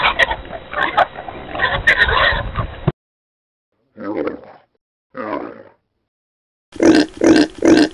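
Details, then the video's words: Pigs on a farm: a mixed, noisy stretch of overlapping grunts at first, then two separate low grunts, and finally three quick, evenly spaced grunts close together. "O SOM DOS PORCOS é inconfundível!"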